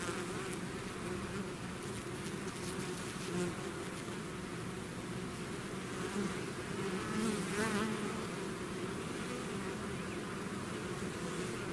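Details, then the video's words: Continuous humming of a bee swarm out of its hive, a dense wall of wingbeat drone with a few nearer bees briefly buzzing louder around the middle. "bees therapy swarm natural buzzing sound"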